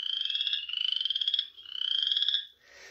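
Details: Male chorus frogs singing, each throat blown up as it calls; trilled, comb-like pulsed notes in three long rapid bursts, each about half a second to a second long, with a brief rasp at the end.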